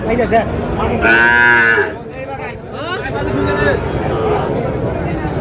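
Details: Sahiwal bull calves at a busy cattle market in Narsingdi, Bangladesh; a loud, strained moo with bright harmonics, then a second, lower bellow that bends and fades, over background chatter.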